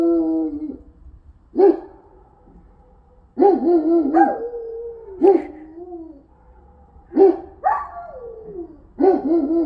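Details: Central Asian Shepherd dogs enjoying the snow in Illinois, giving loud harmonic howling yowls with a wavering, sliding pitch. Six bursts, roughly one every one and a half to two seconds, some ending in a falling glide.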